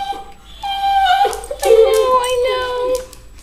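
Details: A Weimaraner foster rescue dog whines impatiently at meal time with high, drawn-out, wavering tones, waiting 5-10 minutes while his food soaks.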